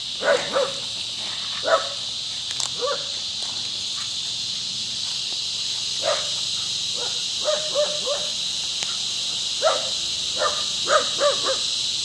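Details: Rocky, a Scottish Terrier, barking at the neighbour's dog while playing; short sharp barks in irregular bursts, some doubled, over a steady high buzzing of cicadas in the trees.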